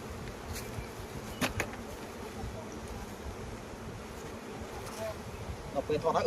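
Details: Continuous low buzzing of honey bees on a Cambodian honey farm in flowering season, broken by a few sharp clicks and a short chirping burst near the end.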